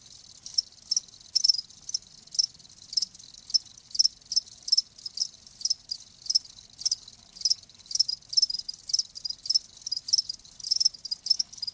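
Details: Cricket chirping used as a soothing sound for tinnitus: sharp high-pitched pulsed chirps repeating rapidly, many short bursts from overlapping callers, otherwise quiet.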